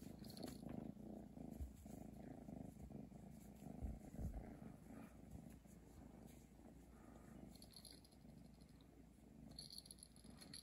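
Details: Domestic cat named Chi purring over a Christmas present, a low, pulsing rumble that holds steady throughout, with faint high tinkling touches and light handling noises.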